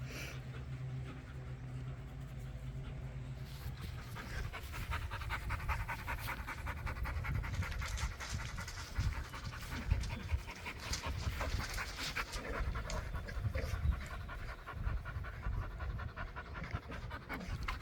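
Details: Pit Bull puppy Gohan panting while playing with his new pack at a private dog park: fast, rhythmic, breathy huffs that build after a quieter low rumble in the first few seconds and carry on steadily to the end.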